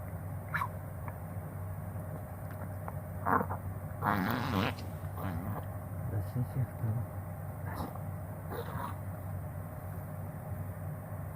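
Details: Reverse sneezing from Hatabou the Chihuahua, diagnosed as such at an animal hospital: a loud run of snorting, gasping honks around four seconds, then scattered shorter snorts, with a person talking and a constant low background hum.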